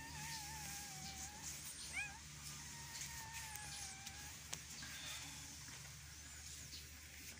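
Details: Belgian Malinois recorded while giving birth: thin, wavering whines held for a second or more, sliding slightly in pitch, over a steady low hum and scattered faint clicks.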